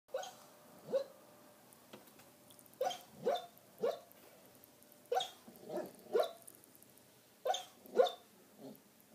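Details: Border collie female asleep indoors having a nightmare, giving soft muffled woofs and small stifled barks, often in quick pairs, spaced irregularly across a quiet room.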